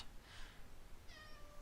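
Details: Male house cat meowing indoors as its owner works on a drawing: one faint, drawn-out meow that slides slightly downward near the end, with a soft breathy rustle before it and low room hum.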